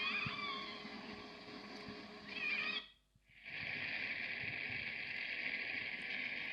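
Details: Snapping shrimp bank picked up on French Navy submarine sonar: a dense underwater crackle, a steady hiss of countless tiny clicks. It is heard often on submarine patrol and masks other sounds of interest.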